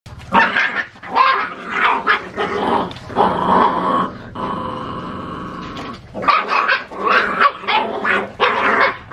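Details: Puppies in a rural countryside village, growling and yipping in repeated bursts under a second long, with short breaks between them and a longer steadier growl in the middle.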